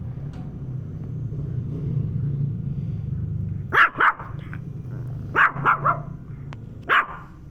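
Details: Penny, a dog, barks while reacting to a turtle: sharp barks in short bursts, a pair near four seconds, a quick run of three around five and a half, then one more, over a steady low engine rumble.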